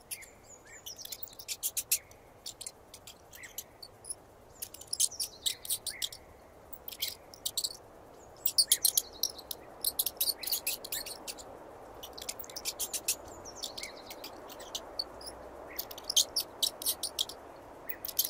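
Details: Real mouse squeal in 8D audio: short, piercing high squeaks tumble out in uneven volleys, some dense and rapid, others sparse and separated by pauses, with soft low background noise beneath.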